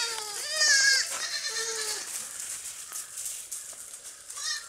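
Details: Baby goats playing and jumping on a farm, giving several quavering, wavering bleats in the first two seconds and another near the end, with light rustling and clicks between calls.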